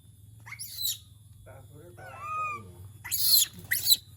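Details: Monkey calling when it misses humans: short, shrill, noisy shrieks in bursts, with a brief tonal wavering cry between them, plus people talking quietly nearby.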